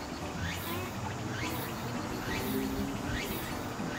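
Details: Song of Walker's cicada (Meimuna opalifera), heard in late summer and early autumn as a sign of the coming season. Sweeping pulsed notes return about every 0.9 seconds over a dense hiss, with low rumbling beneath.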